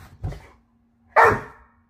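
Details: Doberman at play with a Siamese cat, one soft low woof followed by a single sharp, loud bark, with a quiet steady hum in the background.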